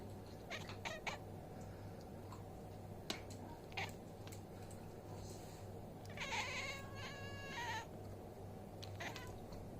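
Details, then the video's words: Domestic cat, one of five kept at home, behaving wildly and making odd noises: scattered short chirps and clicks, then a drawn-out harmonic yowl about a second long, over a steady low hum. "Crazy Cat making weird sounds"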